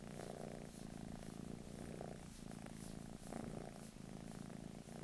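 A British Shorthair cat purrs in a low, steady, rumbling drone.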